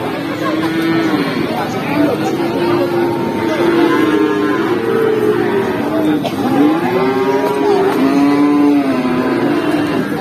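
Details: Feeder cattle at the Pati cattle market in Indonesia: several long, low moos overlap, each swelling and bending up then down in pitch, over steady crowd chatter and market noise.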